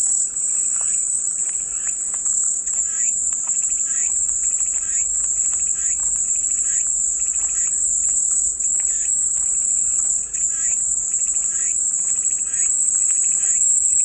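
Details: Cicadas offered as calming white noise: a steady, unbroken high-pitched hiss-like buzz runs throughout, with softer raspy pulses below repeating roughly every half second.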